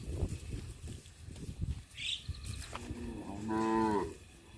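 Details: A village farm cow out looking for food gives a drawn-out, rising and falling moo over low rumbling background noise.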